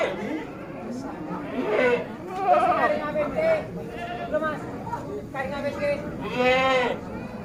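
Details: Penned Bligon semi Jawarandu breeding goats, recorded 18 April 2025; a series of tremulous bleats of varying pitch, the longest near the end, with a man speaking Javanese throughout.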